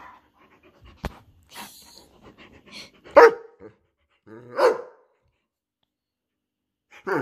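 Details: A 17-month-old Borzoi during its nightly burst of playful energy, around tug-of-war or fetch games, gives two short, harmonic barks about one and a half seconds apart, with a third starting at the end; a person murmurs briefly beforehand.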